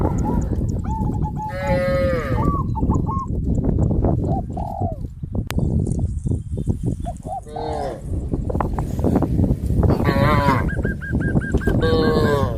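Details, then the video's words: Farm cows in a village herd heading to green grass fields: scattered moos of varying pitch, some short and rising, some longer and wavering, mixed with repeated high chirping notes, a sharp click and continuous low background noise. "A herd of cows heading towards the green grass fields, sound of cows, animal sound"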